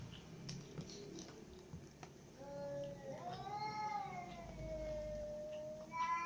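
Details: Domestic cats, including a ginger cat, a mother cat and kittens, gather for dinner; a single drawn-out meow climbs and then sags slowly over about three seconds, with a quieter cry before it and soft background murmur.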